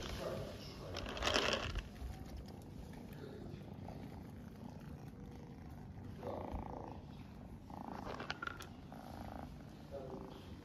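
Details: Mother cat in Istanbul purring steadily while nursing her kittens: a continuous low rumbling purr runs through the whole stretch, with a few brief rustling bursts and soft background voices.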